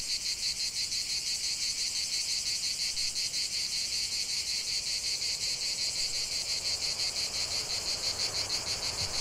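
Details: Steady cicada chorus in nature, a high, hissing, strongly pulsed buzz repeating roughly three beats a second, continuous from start to finish.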